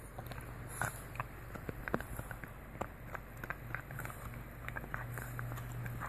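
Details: Lucy, a French Bulldog, chomps on a full deer antler she stole from her sister Katie, giving a steady run of sharp, dry clicks and gnawing scrapes over a low indoor hum.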